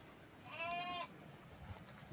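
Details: Texel sheep on a livestock farm in Dieng, with one clear, wavering bleat lasting about half a second, against faint background noise.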